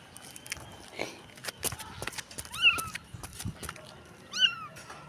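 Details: Small stray street kitten, apparently still blind and without its mother, crying: two high, arched mews about two seconds apart, sliding up then down, with a person talking softly in Tagalog and clicking noises around it.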